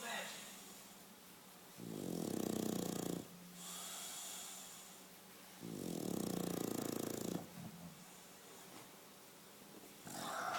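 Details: Sleeping English Bulldog snoring in steady cycles: two low, rumbling, rattly snores about four seconds apart with quiet breathing pauses between, and a third snore beginning at the very end.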